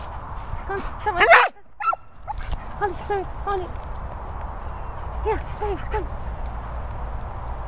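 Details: English Springer Spaniel barking excitedly: a loud burst of sharp barks early on, then a string of short yips and barks in quick succession, another pair near the end; steady background hiss and some human voice.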